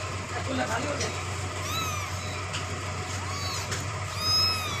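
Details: Faint high kitten meows, several short arched cries spread across the stretch, while the kitten drinks milk; soft low murmuring and a steady hum underneath.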